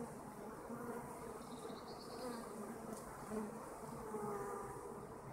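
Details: Kept honeybees buzz in a busy chorus, several bees swelling louder as they fly near, their droning tones sliding slightly up and down over a soft continuous hum.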